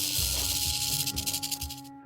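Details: Pygmy rattlesnake from Florida shaking its tail-tip rattle to scare off predators; the hotter and drier the rattle skin, the louder it gets. A dry, hissing buzz pulses through the clip over soft sustained musical tones, then cuts off abruptly.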